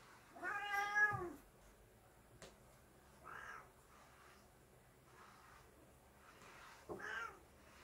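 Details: A cat protests while being bathed with one long, loud, wavering meow, then two softer, shorter mews and a final rising meow several seconds later, in a quiet indoor room.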